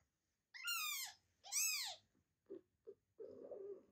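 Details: Newborn kitten squeaking loudly for its mother after falling behind the litter, afraid of being left without milk: two long, high, arching squeaks with rich harmonics, followed by a few short soft squeaks and a brief low rustle.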